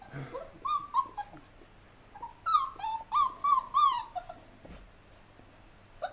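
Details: Hovawart puppies playing outdoors give a run of high, wavering whines and yips, each sliding up then down, several bunched together in short bursts with brief quiet gaps and faint background hum.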